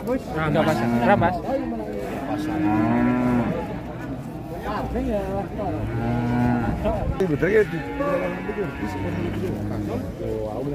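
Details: Limousin cattle lowing in long, low, drawn-out moos, several overlapping calls rising and falling across about eleven seconds, with steady human chatter and voices mixed throughout.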